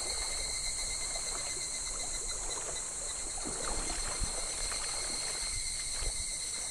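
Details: Cicadas calling in July along a shallow, slow-flowing clear stream in midsummer: a steady high shrill drone holds throughout, over soft trickling water and a few faint clicks.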